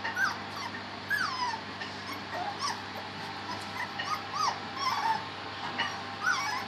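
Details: Three-week-old puppies whimpering and squeaking, short high rising and falling whines scattered throughout, several pups calling over one another with a steady low background hum.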